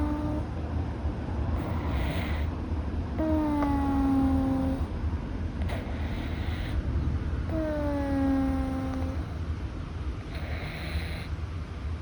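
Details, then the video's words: Sleeping Russian Blue cat Louis, rescued and newly settled at home, snores through a mildly blocked nose. Two drawn-out whistling breaths, each about a second and a half and slightly descending, come roughly four seconds apart over a low hiss. "猫の寝息。-Sleeper's breathing of the cat-"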